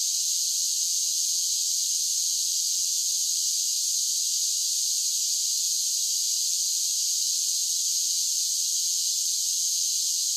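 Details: Cicadas singing in summer, a dense, unbroken high buzzing drone that holds steady at one level throughout, with no pauses, pulses or other sounds.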